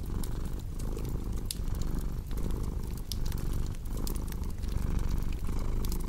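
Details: Cat purring close and deep, a rough low drone that swells and dips with each inhale and exhale under a cozy crackling fire with occasional sharp pops.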